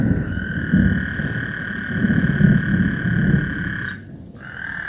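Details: Frogs singing before a thunderstorm on Lake Houston: a steady high buzzing trill runs for about four seconds, then briefly drops out and resumes, over a rough low rumble of wind or distant thunder.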